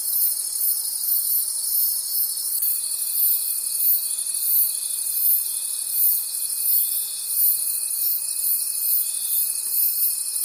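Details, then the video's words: Night-time forest crickets in full chorus, a bright high trilling that swells and fades roughly three times per second; a faint steady whine joins after a couple of seconds and holds. "Forest Sounds and Cricket Conversations at Night"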